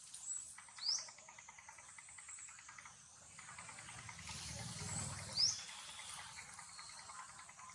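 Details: Timo, a hungry monkey, crying from hunger: two long, drawn-out wailing cries, each about two and a half seconds, steady in pitch with a strained, buzzy tone, over a constant high insect drone and two brief rising whistles.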